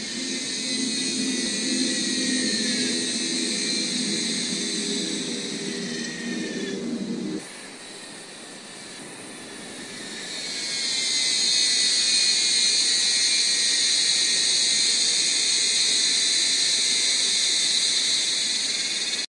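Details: Cicadas at the Jardim Botânico in São Paulo, Brazil, on 17 January 2016 fill the air with a dense, steady, high-pitched buzzing chorus that swells louder partway through.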